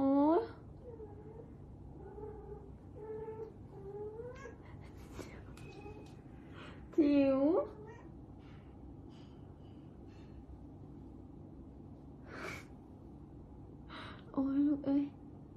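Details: A Scottish Fold cat gives loud, harmonic yowls that rise and bend, spaced several seconds apart, during a failed mating attempt; softer, shorter mews and faint human voices fill the gaps.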